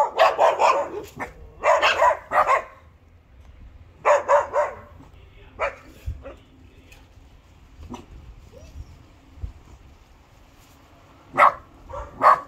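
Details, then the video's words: Bernese Mountain Dog puppy named Josef, born 17 October 2020, making his first attempts at barking: short bursts of soft, yappy barks in quick clusters, then quieter pauses with faint rustling and a few more single barks near the end. "Meine ersten Bellversuche, wuff wuff"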